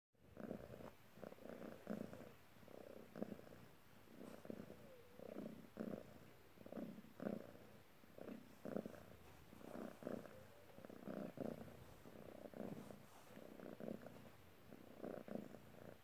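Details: A polydactyl Maine Coon cat purrs steadily while kneading, a low rumbling throb that swells and fades in a regular breathing rhythm.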